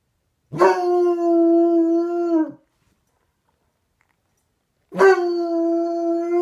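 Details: Rosco P. Houndog, a pet dog, howling as he talks to the neighbour's dog: two long, steady, even-pitched howls of about two seconds each, rich in harmonics, separated by a silent gap of roughly two and a half seconds.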